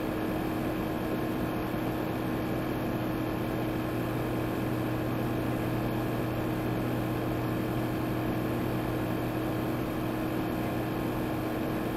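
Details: A constant engine-like drone with steady humming tones and broad noise throughout, unchanging from start to end.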